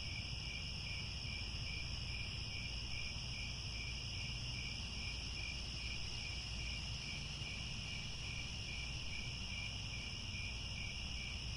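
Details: Crickets chirping at sunset in the grasslands of Angkor Wat, Cambodia: a ceaseless, high, layered trill with a lightly pulsed lower band, steady volume, and constant deep background noise.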